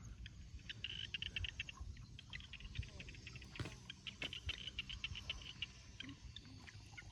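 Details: Small paddy frogs (khiat) calling from rice fields at dusk during rice planting, part of a rural farming scene: quick bursts of short, high chirping clicks repeated in clusters, with faint low rumble beneath.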